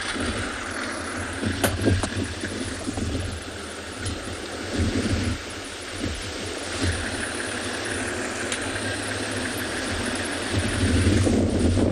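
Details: A vehicle engine idles and rattles steadily, with no animal voices standing out.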